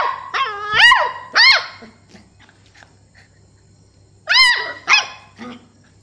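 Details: Stella, a Beagle puppy two months old, gives her first barks: two bursts of sharp, high, rising-and-falling yelps, three or four in quick succession, separated by a three-second quiet gap with soft rustles and a faint low hum.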